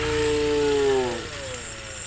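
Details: Cows walking in line along a dirt path home to the farm pen at sunset; one gives a long, steady, even moo lasting about a second before it falls away, over a constant background hiss.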